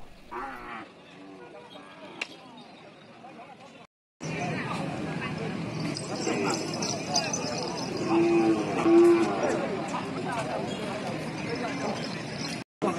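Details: Cattle of all ages and kinds being bought and sold at the cattle market in Taungdwingyi, Myanmar; low, drawn-out moos rise over a busy, noisy market crowd, after a brief silent gap near the start.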